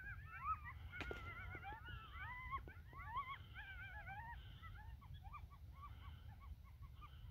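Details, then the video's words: A pack of coyotes gathering just after sunset on North Table Mountain, a mesa near Golden, Colorado, riled up and banding together: overlapping high wavering yips and short rising-falling howls from several animals, with low wind rumble beneath. "Coyotes Howling, Yelping, and Gathering"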